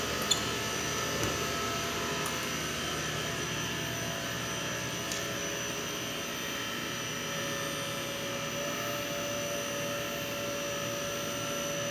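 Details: A steady mechanical hum like a fan or motor drones indoors, broken by a few faint clicks, with no animal voice.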